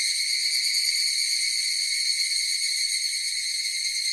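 Cicadas fill the air with a steady, high, shimmering buzz that never breaks.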